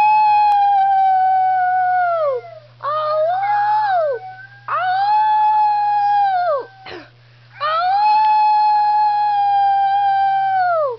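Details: Schnauzer named Piper howling in a series of drawn-out notes, each holding level and then dropping away, separated by short wavering breaks; a faint low hum persists throughout.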